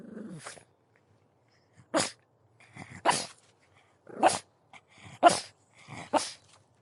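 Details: Pug producing short, breathy, explosive barks roughly once a second, some with a snorting quality, after a brief low grunt at the start.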